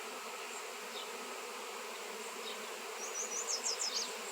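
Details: Swarm of honey bees gathered around a raw 7 lb piece of shungite: a steady, dense droning buzz with a low hum, plus brief faint high chirps near the end.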